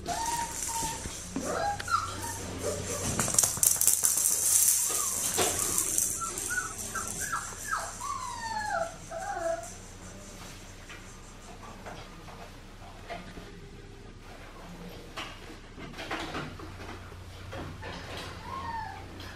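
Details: Blue merle female Australian Shepherd puppy, bred in Oklahoma, gives short high whines that glide up and down in quick clusters, strongest early and midway, with a fainter one near the end. A steady low hum and some rattling sit beneath.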